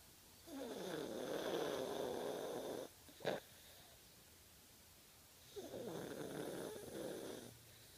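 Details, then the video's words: Sleeping 10-year-old Fox Terrier named Spanner snoring: two long, rough, rattling inhalations about five seconds apart, separated by quiet breathing and a brief click. "My dog Spanner snoring louder than i do."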